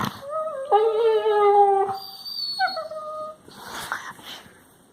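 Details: A Labrador Retriever puppy gives drawn-out, wavering whines that dip and rise, followed by a shorter whimper; recorded March 16, 2020.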